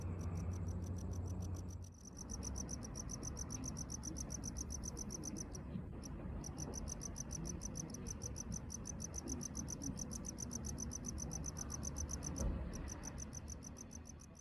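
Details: Gryllodes sigillatus, the tropical house cricket, singing in urban Okinawa from drains or gaps in concrete; rapid high-pitched chirps in long regular trains, broken by brief pauses near two, six and twelve seconds, with steady low background hum.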